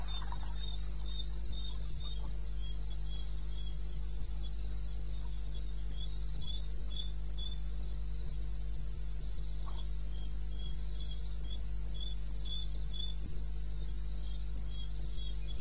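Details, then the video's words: Night recording from eastern Botswana wilderness, 2:30 AM, 21 May 2016: a cricket's shrill, regularly spaced chirps, nearly four each second, with a weaker chirping answer lower down and a continuous deep background drone. "1 Hour cricket sound"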